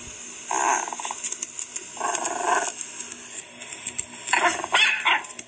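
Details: Chihuahua giving short rough growling bursts with buzzy, barking edges, three main outbursts spaced roughly two seconds apart with smaller snarls between, heard close up indoors.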